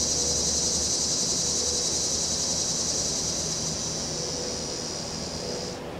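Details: Cicadas give a steady, high, hissing buzz, unbroken before cutting off abruptly, on a windy afternoon in September with breeze and traffic noise.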